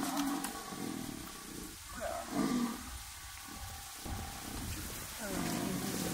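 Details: Male and female jaguar fighting as foreplay; low, rough growls and snarls that rise and fade in bursts over a few seconds, amid a steady hiss of background noise.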